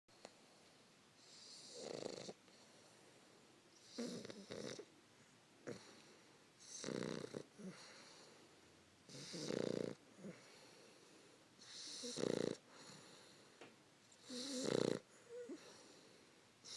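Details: Fannie, a 3-month-old English Bulldog puppy, asleep while snuggled with her owner around 5 AM. Rhythmic snoring, each breath a broad rasping burst with a tonal core, repeating roughly every two and a half seconds in a quiet room.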